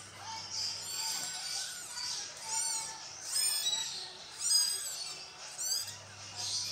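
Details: High, piercing cat mews as a mother cat moves her kittens, short arched squeals coming roughly once a second, with a few lower tonal notes and a steady faint hum in the background.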